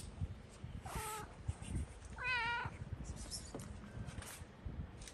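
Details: Homeless tabby cat in Morocco meowing sweetly, two clear harmonic meows, the second longer and wavering, amid street noise and a man's soft talk.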